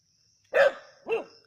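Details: Two quick harsh barks about half a second apart from native dogs hunting a snake at Keezhadi, the first louder and broader, the second briefer; thin high hiss behind.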